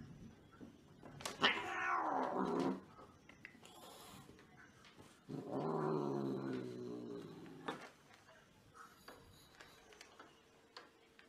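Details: Angry cats yowling in two long drawn-out wails, the first falling in pitch and the second a low harmonic-rich growling yowl, separated by a short quieter gap with faint clicks.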